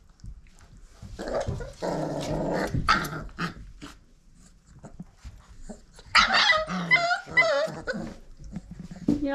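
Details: Five-week-old Old Family Red Nose Pit Bull puppies from Abby and Ragnar's litter: a rough, noisy growl lasting over a second, then a burst of high yips and whines around six seconds, while a person talks softly to them.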